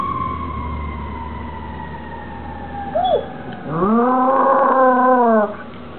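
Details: A female Cairn Terrier, described as somewhat shy, howls in a drawn-out wavering tone that rises, holds, then drops away, while another household dog is in the background.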